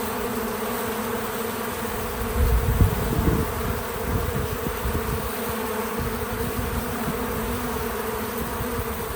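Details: Bees visiting a feeder, recorded without music or narration: an even, dense humming drone, rising briefly to a louder close buzz of a nearby bee before settling back into the steady background hum.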